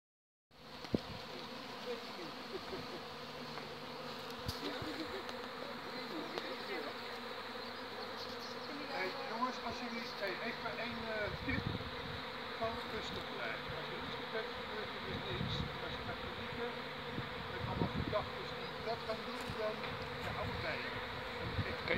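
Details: Honey bee colony swarming in Haarlem, Netherlands, on 11 May 2017, the old queen leaving with half the bees; a dense, steady buzzing hum of many bees throughout, with scattered knocks and clicks.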